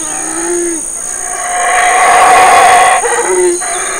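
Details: Big male black howler monkey calls in Burrell Boom, Belize, while his family eats fig leaves and fruit. A short grunt opens into a swelling, harsh, rumbling roar, then breaks into gruff pulses, with insects whining steadily high above.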